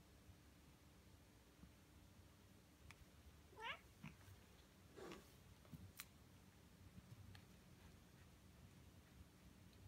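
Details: Ragdoll cats, aged one year one month and ten months, given silvervine (matatabi) for the first time and reacting more wildly than expected, indoors. A rising, drawn-out meow sweeps upward, then a shorter wavering cry follows amid soft clicks and quiet room noise.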